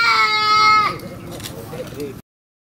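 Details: PE goat on a farm in Kota Banjar, raised for quality milk: one loud, steady, harmonic-rich bleat lasting nearly a second, then quieter mixed sounds and speech before the recording cuts off.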